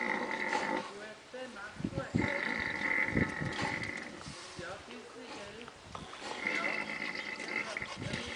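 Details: Wild boar at a wildlife park in St. Gallen, Switzerland, grunting in short low bursts, with drawn-out squeals and human voices mixed in.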